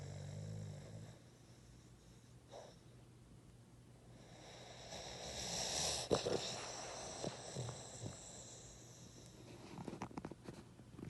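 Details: Boston terrier. A Boston terrier snores in its sleep: rough, wheezy breaths swell and fade, with a few sharper snorts and clicks. A low, steady electrical hum runs underneath.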